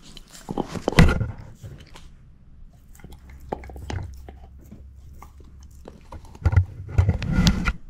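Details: Shepherd mix dog Moose, female, eating a bone: heavy low thudding bites with crackle, a loud crunch early, quieter gnawing in between, then a burst of strong crunching chews toward the end.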